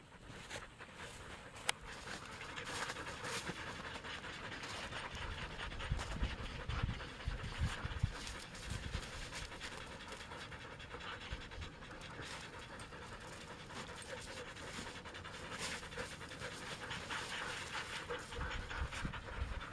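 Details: Samoyed sled dogs resting to cool down during a 14-mile carting run in Minnesota on a warmer-than-forecast day of 44F; rapid, breathy panting pulses repeat steadily for about twenty seconds over a constant low rumble.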